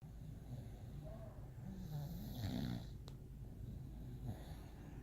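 An English Bulldog snores in low, rattling rumbles, each breath swelling into a rough, throaty drone. The snores come in a slow, uneven rhythm, with a faint hiss on the exhale.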